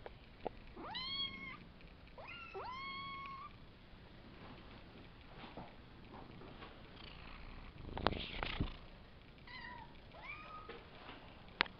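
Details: Savannah kittens, a litter of three males and two females from Kendi X Gargoyle, born April 22nd and recorded May 30th, giving high harmonic-rich meows that bend downward, mostly in quick pairs, with a later cluster of short mews and some rustling.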